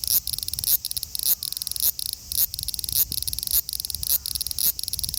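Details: Sizzling buzz of a male large brown cicada in Osaka, Japan, 5 August 2019, filmed on a phone: high rasping pulses broken by short gaps about twice per second.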